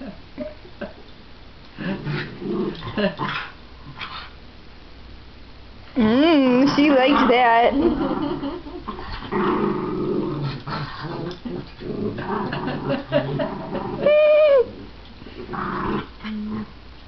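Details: Playful tussle between pet dogs Cooper, shih tzu/pomeranian, and Millie, miniature schnauzer who growls while wagging her tail; rumbling growls throughout, a loud wavering whine-like howl midway and a high squeal near the end.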